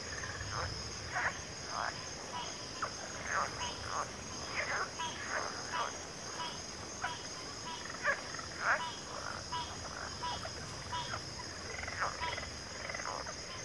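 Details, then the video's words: Frog chorus of many short croaking bursts at irregular intervals, overlapping one another, above a steady high insect-like hum and a low background rumble. "FROGS - Pig Frogs, Water Frogs, Backwater Chorus, & Frog Chorus"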